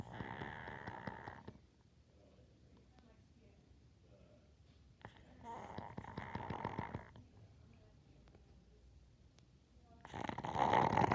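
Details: A dog snoring indoors in slow, rasping bursts. Three rough snores, each one to two seconds long, are separated by several seconds of quiet breathing. The last snore is the loudest.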